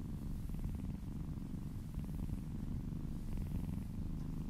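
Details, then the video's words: Short run of steady kitten purring while being massaged indoors, throbbing low rumble rising and falling with each breath. "Cat massage ASMR - Purring kittens ASMR"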